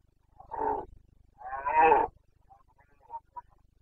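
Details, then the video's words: Rutting Carpathian stag, a red deer of Bucovina's forests, bellowing in the September 2022 breeding season: a short gruff roar, then a longer rasping one, followed by a few faint distant calls. "Boncănit / Carpathian stag Breeding season"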